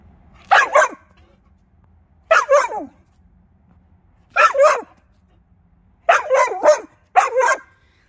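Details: Vizsla dog barking to ask for a game of fetch: five short, sharp double barks spaced one to two seconds apart, each a quick pair of yelps, with a quiet room between them.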